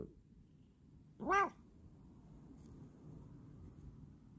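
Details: Bengal cat indoors giving one short harmonic meow, rising then falling, in a quiet room with a low background hum.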